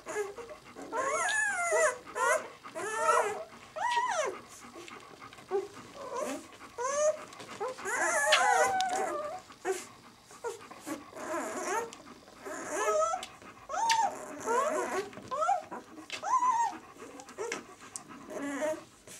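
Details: Squealing White German Shepherd puppies, six days old, from the B litter "of White Night": bursts of high, bending whines from more than one pup, separated by quieter pauses with faint rustling.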